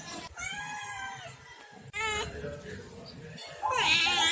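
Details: Pet cats kept at home, several meows in a row: long drawn harmonic meows rising then falling, a second shorter meow, then a loud rough ending cry, with faint background noise.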